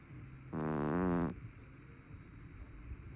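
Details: A big, heavy-set brown tabby house cat snores loudly in its sleep: one drawn-out, deep, rasping breath lasting under a second, with a rich buzzy tone that rises slightly, then quiet room background.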